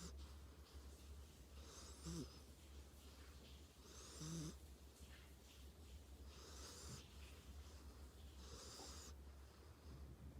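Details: Dog named Tank asleep and snoring, four hissing inhalations spaced about two seconds apart, two carrying short nasal snorting grunts, over a faint steady indoor hum.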